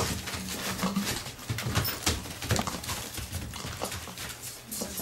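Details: Bee, a female sheepdog, playing indoors with her six-week-old pups from the Astra Chum x Astra Bee litter, born 9 November 2013. Low, rough growly bursts mix with constant scuffling, pattering and clatter in a small room.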